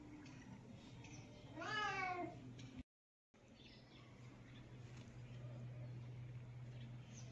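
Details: A cat gives one clear, drawn-out meow that rises then falls, about a second long, followed by quiet room hum with a low steady drone and a brief silent gap.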